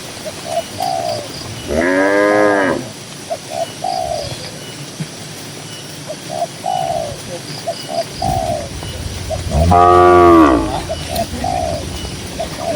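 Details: Cattle grazing in a peaceful green village pasture give two full, harmonic moos about eight seconds apart, with frequent short whistled bird notes in between.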